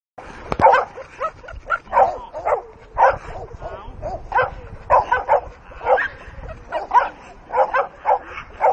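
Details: Dogue de Bordeaux barking in attack mode, a run of short harsh barks roughly every half second, some doubled, with one sharp click near the start.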